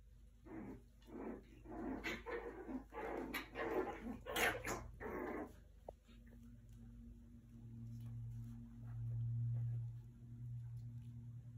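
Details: Havanese puppies at play: a quick run of short, harsh yapping barks crowds the first half, then stops, leaving a steady low electrical hum and a single faint click.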